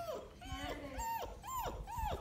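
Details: Mudhol Hound puppies at play with a Great Dane give a run of high, arching whimpers and yips, about two a second, each bending up and then falling. Faint voices sound underneath.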